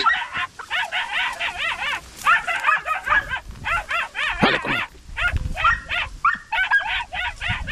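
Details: Podenco puppies hunting a rabbit in open countryside yelp almost continuously. The rapid, high, bending cries overlap into a frantic chorus, and a man shouts encouragement partway through.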